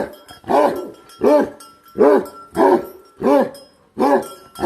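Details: Six heavy, booming barks from a Bhote Kukur guardian dog, evenly paced about every three-quarters of a second, each with a strong low harmonic body.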